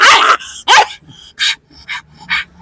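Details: A pet dog during a playful dog challenge with its owner gives two loud, sharp barks in quick succession, followed by several shorter, softer yips spaced about half a second apart.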